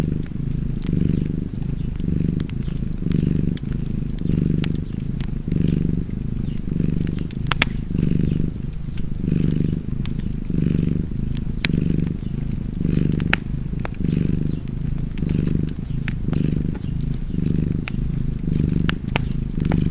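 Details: Cozy purring from a cat, a deep vibrating drone pulsing in regular swells about every second and a bit, mixed with a fireplace's continuous crackling and occasional sharp snaps.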